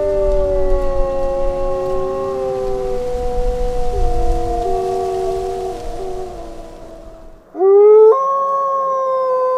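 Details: Wolf howling: a long, steady, low howl with layered voices and stepwise pitch shifts, over rumbling noise. A sudden cut leads to a louder howl that jumps upward and holds high.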